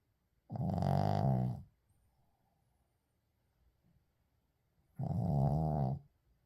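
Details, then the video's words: Sleeping Shih Tzu Uijung snores in an unedited recording: two drawn-out, deep buzzing snores, each over a second long and about four seconds apart, with near silence and soft breathing between. "시츄 코골이"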